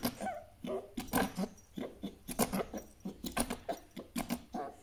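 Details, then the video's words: Djinn, a grumpy pet fennec fox, indoors in a small room, gives an angry call: rapid rough chattering bursts, broadband and pulsing several times a second, with short harsh nasal notes between them. "Top 5 Angry Fox Sounds | Grumpy Compilation"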